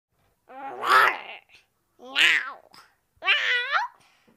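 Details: Tiny stray kitten that doesn't trust humans calls indoors: three drawn-out harmonic meows spaced about a second apart, the first longest, the last wavering up then sliding down at the end.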